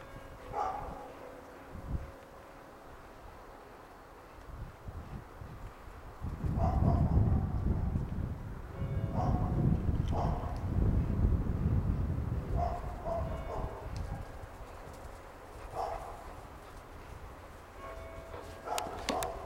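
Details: Old English Sheepdogs playing in a snowy backyard in 2009: Oprah, nine months old, with a ball, Ch. Brinkley Barnaby (Tom), and their nine-year-old mother Antje. Short, scattered barks come at intervals over a low rumbling background noise.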